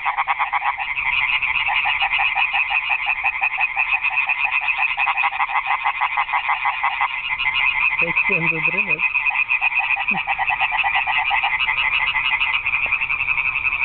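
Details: Frog concert at a garden pond at night: many croakers producing a continuous, fast, grating rattle, with a short low warbling sound and a faint tap heard midway beneath it.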